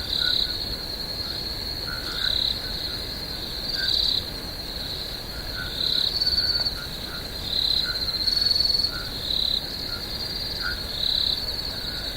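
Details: Crickets trill in a steady, high-pitched night chorus at a swamp, with louder pulses swelling every couple of seconds.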